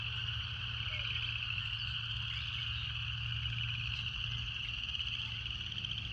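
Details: A continuous shrill, pulsing buzz from cicadas holds level for the whole stretch, set over a constant low hum and a brief faint lower note near the start.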